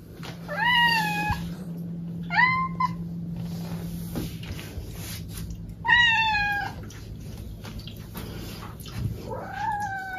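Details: Domestic cat meowing indoors: four harmonic meows, each rising then falling, spaced about two to three seconds apart, with a steady low hum beneath and a person speaking briefly afterward.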